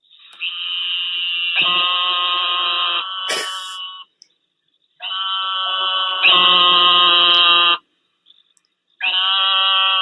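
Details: Eastern narrow-mouthed toad gives long, nasal, buzzing bleats, much like a sheep's or lamb's cry, though some hear it as almost a scream.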